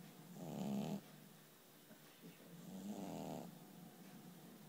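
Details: A kitty asleep, giving two gravelly, droning snores about two seconds apart, the second softer and longer, against faint room hiss.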